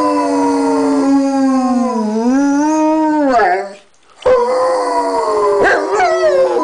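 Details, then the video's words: Tripod Rottweiler, a three-legged osteosarcoma cancer survivor, lying in bed and howling: long sustained tonal wails, sliding down and then rising, with a brief silent pause near the middle before a second drawn-out howl. "Debo the tripod Rottweiler singing"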